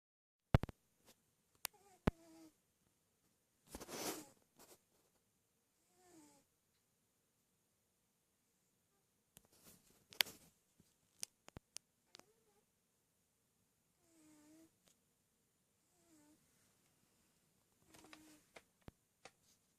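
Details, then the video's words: Lieutenant Miller, a male pet cat checked by the vet for respiratory causes, snoring and dreaming: soft low breaths with faint short rising squeaky chirps every few seconds, occasional clicks and rustles in a quiet room. "Snoring Kitty Cat Lt. Miller"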